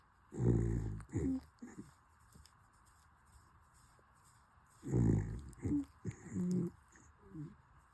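A corgi puppy snores in deep, rumbling bursts that come in clusters about every four and a half seconds.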